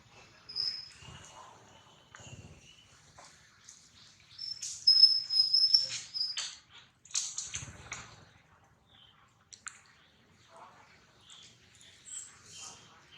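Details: Wild baby monkey Lily waking up and clinging to its mother Aika, making high, thin squealing whistles, with one long steady squeal midway and scattered shorter chirps and squeaks, over soft handling rustles and faint voices.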